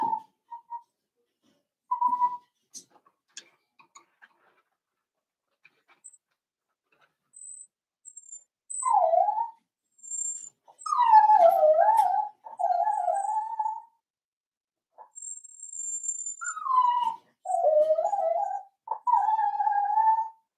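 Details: Four-week-old Cavalier King Charles Spaniel puppies in a home puppy pen give thin, high whining whimpers. Short isolated cries open the recording, then longer drawn-out whines that dip and level off come in close runs of repeated bursts.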